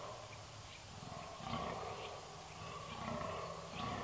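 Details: Red deer, 13 October 2019, starting quietly, then breaking into a sustained, rough, low roar from midway on, with a drawn-out throaty rumble and faint stutters, over background hiss.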